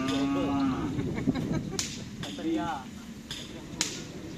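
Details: Cattle at karapan sapi bull race practice give a short, steady, low lowing tone that tails into a wavering moan, while men talk loudly and sharp knocks ring out.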